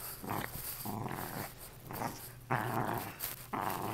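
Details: Lakeland Terrier bitch tugging at what is left of a stuffed animal inside a room, growling in throaty, uneven bursts, some longer and louder, the last two rising sharply in force.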